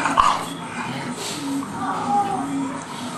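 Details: Playful dogs, an English Bulldog and a three-month-old English Mastiff pup named Forest, wrestling together; low grumbling growls run through the short stretch alongside scuffling noise.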